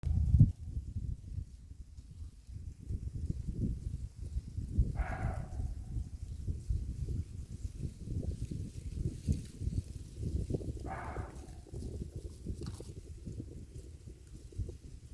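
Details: Water deer deep in the mountains, giving short hoarse, raspy screams, one near five seconds and another about six seconds later, followed by a briefer rasp, over a steady low rumble.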